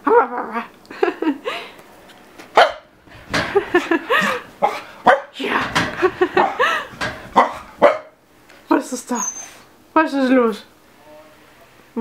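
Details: Chester, a 7-month-old Keeshond going crazy, makes a dense, excited run of warbling yowls and barks with sliding, bent tones, then a short pause and a last burst of whining, wavering notes.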